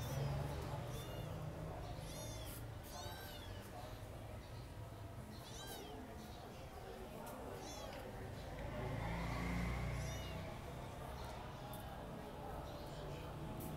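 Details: Newborn stray kitten, apparently abandoned, rescued from a yard at night on 30 April 2023 and shown feeding. Its high, thin mews come in quick bursts early on and then more sparsely, over a steady low rumble.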